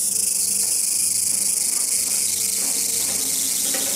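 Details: A Walker's cicada found singing in a garden gives a shrill, high, continuous buzzing drone.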